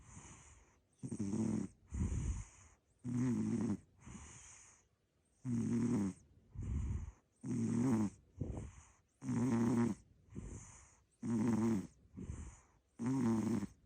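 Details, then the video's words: Asleep and pulling a funny face, a short-legged American Shorthair cat snores in a regular rhythm, harsh low rattling inhales paired with breathy exhales about every second. "変顔いびき猫 短足アメショー Funny face snoring cat, short legged American Shorthair"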